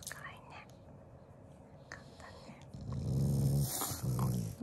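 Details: Shiba Inu at mealtime giving a low affectionate growl, not an angry one: a faint rumble early on, then two stronger deep growls in the last two seconds, over soft indoor background noise.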